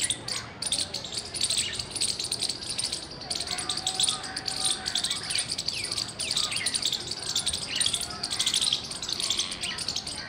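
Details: Squirrel chirping loudly, recorded 17 February 2021: a rapid, unbroken stream of sharp, high-pitched chirps repeated many times a second across the whole stretch, with faint background hiss beneath.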